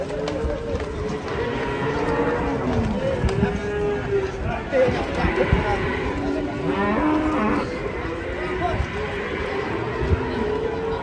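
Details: An angry cow being unloaded from a truck gives long, low, drawn-out moos with rich harmonics, several bellows rising and falling over eleven seconds, while men talk and shout nearby.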